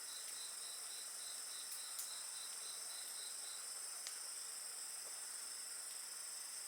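Steady high insect chorus with a pulsed trill and occasional crackles from a fire.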